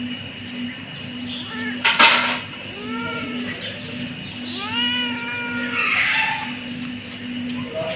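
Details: Loud, clear kitten meows, several overlapping arched cries in close sequence, with a sharp clatter early on and a steady low hum throughout.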